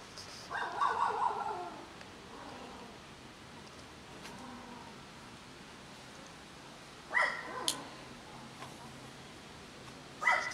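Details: Several cats, some resident and some wandering strays, gather for food while kittens nurse and a pregnant cat is present. A drawn-out meow of more than a second opens, then two short sharp cries follow, with quiet pauses between.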